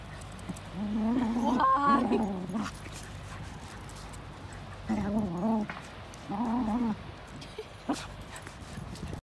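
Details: Golden Retriever running around and digging holes on a beach, giving short whining, whimpering vocal bursts: one longer at the start, two brief ones midway, with a soft background hiss.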